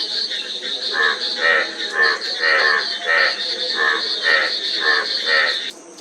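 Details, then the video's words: Frogs calling in a dense chorus: rough, buzzy croaks overlapping roughly twice a second, with a steady high-pitched drone running underneath throughout. "Frog Sound--Frog Sound Effect 15 min"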